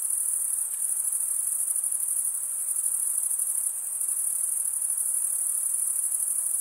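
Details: Steady, piercing trill from stridulating male crickets, rapidly pulsed and unvarying, sustained without gaps; a faint low hiss lies underneath.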